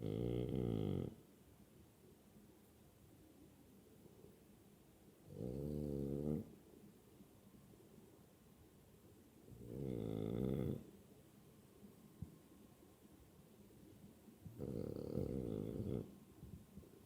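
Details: Zunko the French Bulldog snoring even though awake. Four harsh, grunting snores of about a second each come every four to five seconds, deep and vibrating, with soft background hiss between bursts.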